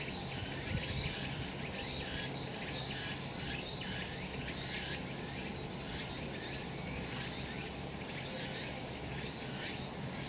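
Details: Chorus of cicadas on a mountain in summer sun, rasping high buzz pulsing in uneven waves about once per second over a constant low drone.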